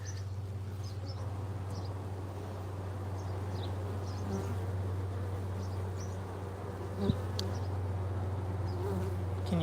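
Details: Honey bees at a hive entrance give a deep, continuous hum that swells and settles as workers return with pollen and nectar, with faint chirps and a brief click above the drone.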